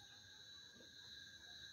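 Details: Cicadas drone in a steady, high-pitched, continuous metallic buzz outdoors near mountains on 31 March around Holy Week, just after sunset, with only a few emerged so far and another calling farther off.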